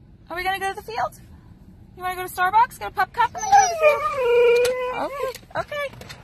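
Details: Huskies in an indoor setting give short yodelling yelps followed by one long, wavering howl that slides downward and levels off. Speech-like noises and clicks come in between the calls.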